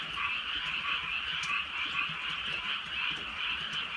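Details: Frogs in the countryside at night during light rain form a thick wall of croaking. Rapid pulsed calls blend together, and a few sharp raindrop clicks stand out.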